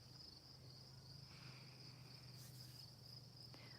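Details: Many crickets trilling in the daytime by a lake in Wisconsin at the end of summer: a steady, high, unbroken trill with a low hum underneath.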